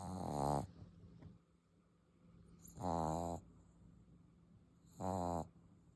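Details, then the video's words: English Bulldog puppy asleep indoors, snoring loudly: three harsh, rasping snores roughly every two and a half seconds, each with a buzzy, layered tone, and a low steady hum underneath. "His snoring loud #puppy #englishbulldog"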